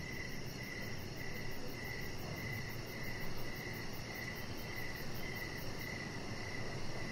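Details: Evening crickets heard from an outdoor deck where a chihuahua puppy rests; rhythmic trilled chirps repeat roughly every half second, with a thin high-pitched pulsing overhead and steady low background noise throughout.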